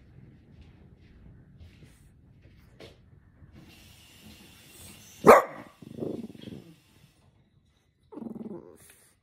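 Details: Grumpy, tired merle French Bulldog puppy reacting to annoying sounds indoors: a quiet stretch, then one sharp, loud bark, followed by a rough, rumbling growl burst and a shorter gruff growl-bark near the end.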